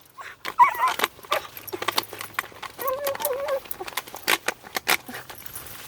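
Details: A red fox trying to get at a chipmunk gives short, wavering high whines and squeaks among jangling, clicking noises; Red fox.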